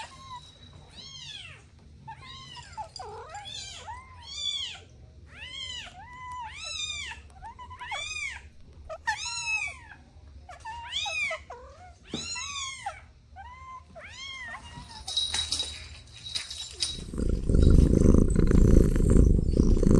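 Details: Kittens playing with their mother and two siblings produce rapid, repeated short meows, roughly a dozen arching cries in quick succession over fifteen seconds, then a loud low rumbling noise takes over near the end.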